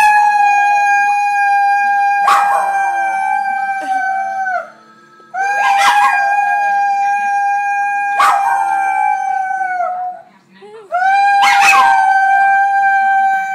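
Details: A male dog howling loudly in long, steady, level-pitched tones with rich overtones, four drawn-out howls with short breaks, each ending in a slight downward slide.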